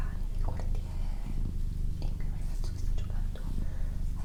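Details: Doroti, a female pet cat, purring indoors for a relaxation recording: a steady low rumble with short breaks at each breath, about every second, while soft whispering and small mouth clicks sound over it.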